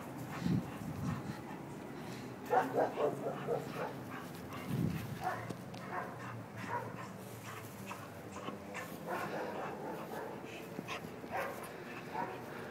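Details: Bull Terrier playing in Ecuador, giving short rough grunting barks and yips in scattered bursts, loudest around the third and fifth seconds, with steady background noise and faint voices.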